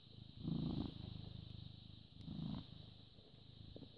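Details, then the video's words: British Shorthair cat born 18 August 2010, filmed 14 May 2017 at 09:16, purring: a low, even rumble that swells into two louder surges near the start and middle, with a steady high electronic whine behind it. "British Shorthair Cat purring"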